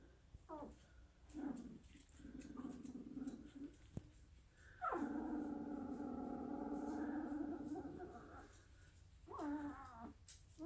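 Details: Sleeping Dalmatian puppy making drawn-out, whining, harmonic whimpers. Short ones come near the start and end, with a long wavering whine in the middle, over soft breathing noise.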